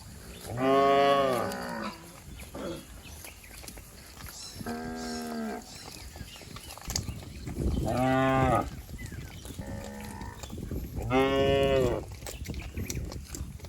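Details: Cattle in a herd bounding down a green hill in the countryside, several moos heard, some loud and full, others shorter and more distant, separated by gaps of a second or two over rustling outdoor background.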